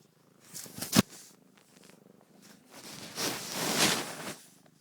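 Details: Close, rumbling purring from Narla, a mother cat with her one-week-old kittens, rising in strength toward the end, with a sharp knock and soft rubbing sounds as she brushes against the phone.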